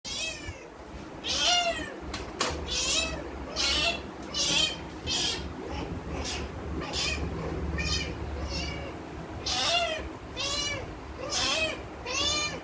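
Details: Spayed female cat in heat for 19 days from ovarian remnant syndrome, calling indoors: a steady run of about a dozen loud, arching meows, one every second or so.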